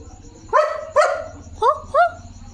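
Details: Evening at a farm, a German Shepherd guarding his area barks fiercely: four strong barks in two pairs, each rising then falling in pitch, over low rumbling background noise and faint insect chirring.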